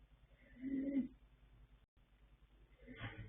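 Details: Sleeping colt foal Yanta, born 21 January 2026 to sire Fast Force and dam Pink Blossom, snoring: a low, tonal, rasping breath near the start, then a second breathy snort toward the end, with a quiet background hum.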